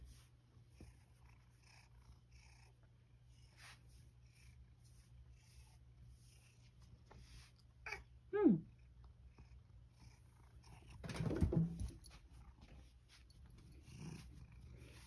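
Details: Satchan, a rescued male cat living at Kazeno Kobo, meows indoors to lead the grandmother to the kitchen for a late-night snack: one short drawn-out meow midway, then a louder rough burst, over a steady low room hum.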